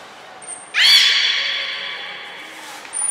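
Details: Beluga call from a training session with Mirai and Nico at Port of Nagoya Public Aquarium, 20 February 2021: a thin trainer's whistle, then one bright harmonic call rising sharply and held for about two seconds before fading.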